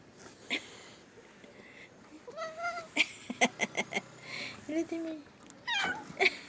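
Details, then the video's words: Pet cat indoors giving a few short meows, each a quick rising-then-falling tone, spread across several seconds between bursts of people talking and sharp clicks. "Miawww sounds of our PreciousFurBabies"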